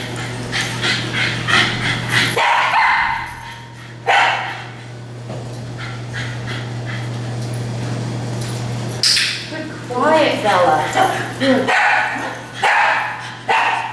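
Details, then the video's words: Dogs in a daycare playgroup at Tails-A-Wagging barking, nuisance, alert or demand barking; several sharp harmonic barks overlapping, a rising whining yelp near the middle, steady low hum and a voice in the background. "Barking at Tails-A-Wagging"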